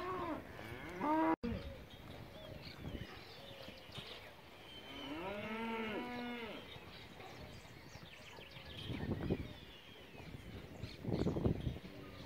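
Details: Angus calves at an auction lot in Junín, fifty animals of both sexes around 200 kg: several drawn-out lowing moos with rising-falling harmonics near 1, 6 and 11 seconds, overlapping calls, a sharp clack and background farm noise.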